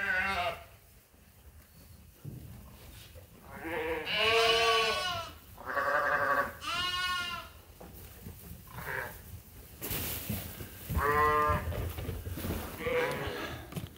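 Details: Several sheep at Ewetopia Farms call while awaiting their feed. Overlapping quavering bleats come roughly every two seconds, some high and thin, others lower, with a brief burst of noise partway through.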